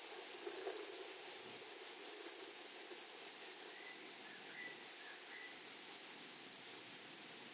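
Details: Flowery meadow grasshoppers stridulate in rapid, regular high-pitched pulses, about four to five per second, giving a shimmering buzz with a thin overtone above; a few faint bird notes drift through the middle.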